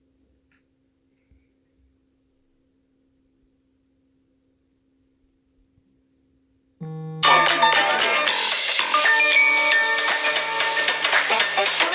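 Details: Near silence gives way to a loud, bright electronic alarm melody indoors, with no animal voice heard.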